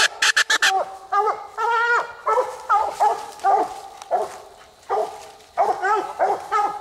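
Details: Two coonhounds, Nite Ch Fit and Nite Ch Cindy, bay at night on a second raccoon, caught in less than 20 minutes. After a few sharp clicks, long rising bawls give way to choppy barks roughly every half second.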